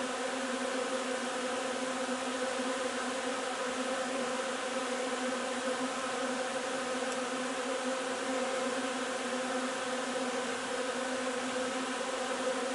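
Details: Beehive of honey bees collecting linden nectar on 3 June: a long, constant hum of countless wingbeats, low and even, with a faint brief click near the middle.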